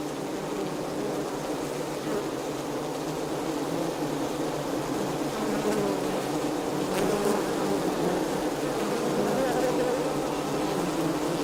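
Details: Steady, loud hum of many honey bees in the hive, a thick buzzing drone with wavering tones. A few brief clicks or taps stand out near the middle.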